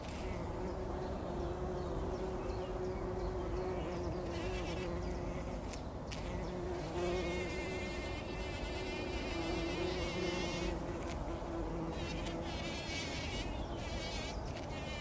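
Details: Bumblebees working poppy flowers before sunrise in 2019, rolling in the pollen. A clear droning hum with steady tonal bands is interrupted by loud, rippling buzz bursts, especially around the middle and final third.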